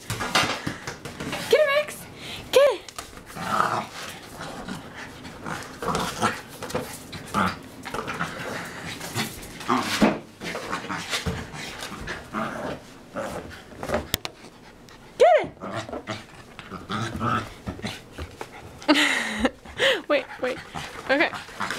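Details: Dog playfully fighting a basketball: rough growling and a few short arched yelps scattered through the clip. A person keeps urging it on with repeated 'get it' and 'wait' amid thumping play noises.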